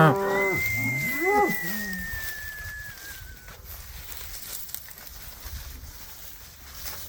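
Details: A cow on winter pasture, apparently Red Angus, gives a short, wavering moo, with a thin high whistle drawn out over it.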